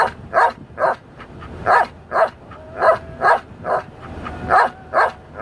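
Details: A pet Belgian Malinois called Dale singing along to music, giving rhythmic, wavering howl notes in quick succession, about two per second, with a thin sustained tone beneath.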